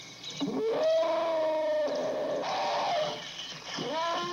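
An elephant gives loud, brassy calls that swoop upward and hold steady for about a second each, with a rising call at the end.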